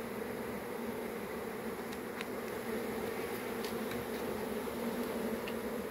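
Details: Swarm of honey bees giving a steady, low droning hum that holds evenly throughout, with a few faint, brief high ticks scattered near the middle.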